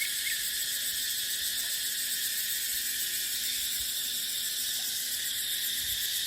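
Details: Cicadas in dry-season dry dipterocarp forest: an even, unchanging high-pitched whirring buzz fills the whole stretch, with only faint wind below.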